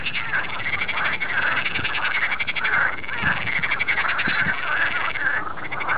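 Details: Frogs calling loudly on a new sunny day in a polder near Amsterdam, a thick wall of fast, buzzy pulsed croaks from many animals, with brighter rolling trills rising over the steady din.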